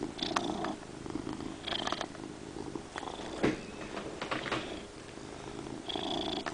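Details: Pet cat purring very loudly in a small indoor room: continuous low droning rumble, punctuated by short airy bursts every second or two and a faint click near the middle.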